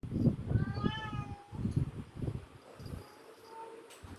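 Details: Domestic cat meowing, offered as sounds to attract cats: one clear rising-then-falling meow near the start, with a second shorter cry around 3.5 seconds, over low rumbling handling noise.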